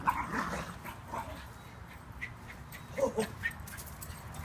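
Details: West Highland White Terrier zooming around a yard in play, giving a few short sharp yips near the start and again around the three-second mark, with a person's excited voice urging it on and outdoor background noise.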